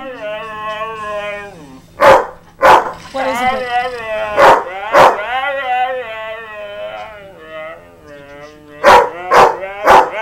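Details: Pet dog howling in response to another dog's barking: long wavering howls rising and falling, punctuated by several sharp barks, with a person speaking.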